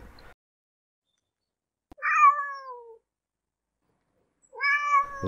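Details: Domestic cat meowing twice with a long pause between; the first call starts bright and slides downward, the second rises, both clear over silence. Cats meow to communicate with other cats and with humans.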